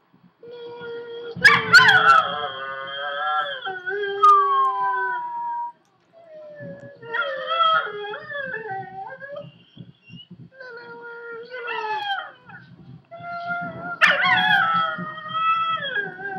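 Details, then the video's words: Lily, a female Chihuahua, howling indoors in front of her owners: long wavering harmonic howls sliding down in pitch, broken by short yips and rising whines, in several bouts with brief pauses between them. "lily howling cute chihuahua"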